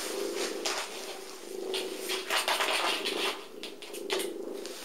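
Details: Small, playful shelter cat with patchwork fur, abandoned and now awaiting adoption in North London, purring loudly indoors as a steady pulsing rumble with rustling and handling noises on top.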